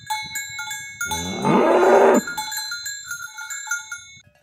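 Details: Village cattle walking to their pen in the morning, herded by people; a rough, noisy moo lasting about a second rises out of steady ringing cowbells.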